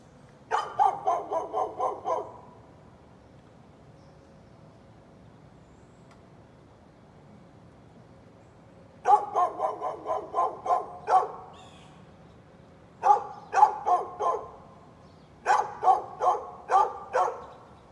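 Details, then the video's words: A neighbor's dog barks outdoors in the morning in bursts of five or six rapid sharp barks, with a pause of about seven seconds between the first and second bursts, then shorter pauses before two more quick volleys. "Neighbor's barking dog"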